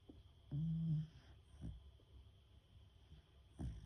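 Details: Fast-asleep female Beagle Fuku-ko giving one loud, low, half-second snore, then softer breathing and a second snore starting at the end, in a quiet room.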